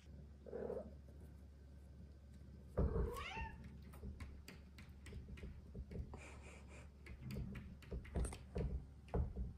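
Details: Two female Bengal cats wrestling on a cat wheel indoors at night: a short meow early on, then a loud harmonic yowl that rises and falls, followed by thumps and knocks from the scuffle.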